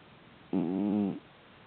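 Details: Pet cat snoring while asleep indoors: one voiced, droning breath lasting about two-thirds of a second, steady and buzzy with stacked tones, then quiet room.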